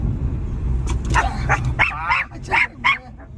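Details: Miniature Pinscher barking at motorcycles: a burst of sharp, high yapping barks, five or six in quick succession, over a low rumbling engine noise that fades midway.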